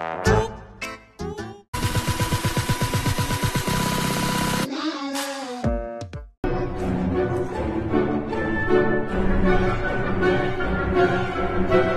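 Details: Comic background music with brassy sustained tones, a sweeping slide and brief cuts between snippets, without any audible animal calls.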